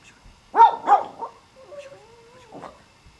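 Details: Pomeranian (Spitz) puppies: two quick, sharp yips, then a thin, wavering whine that slides up and down, and a last soft yip.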